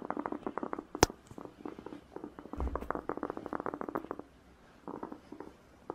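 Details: Rabbit (Oryctolagus cuniculus domesticus), tooth purr: contentment when calm and relaxed, such as being stroked.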